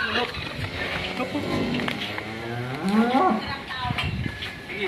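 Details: Limousin-type cattle, one of three large bulls delivered, loose from their ropes and agitated, nearly escaping; a drawn-out, rising and falling moo with harmonic bands, over background noise and commotion.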